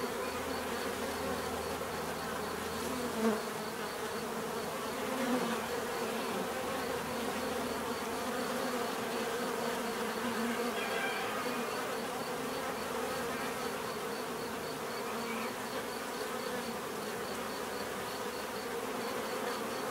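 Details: Constant buzzing of numerous bees, a dense droning hum; a low rumble fades out early and a few short louder buzzes pass by close, over a faint steady high tick.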